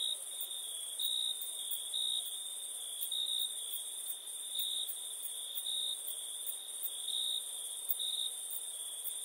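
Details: Crickets at nighttime keep up a constant shrill trilling, growing louder in bursts every second or so, over a faint high hiss.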